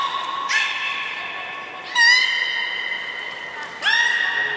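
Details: Training session with belugas Hodoi, Gray and Mirai, Port of Nagoya Public Aquarium, 1 December 2019; three mewing, harmonic whistles with rising starts, each held about a second or more, in a reverberant indoor space.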